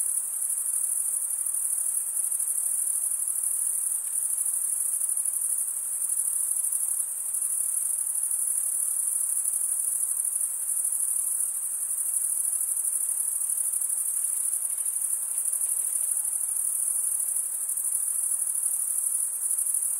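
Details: Stridulating crickets, the males running one wing along the comb-like teeth of the other, keep up a constant thin, very high buzzing trill for the whole stretch, steady and unvarying.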